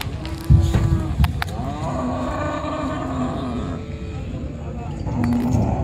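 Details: Cattle being unloaded at a busy village cattle market by a riverside, mooing in long drawn tones with strong harmonics, several low calls overlapping amid steady crowd and market noise and a few sharp knocks.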